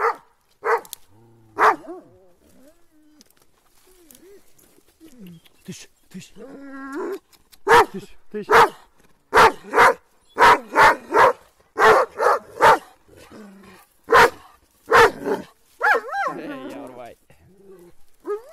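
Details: Kangal dogs attacking, barking in a loud, fairly irregular burst of about a dozen sharp barks in the middle stretch, after a few scattered barks and softer whimpers, ending with a wavering whine.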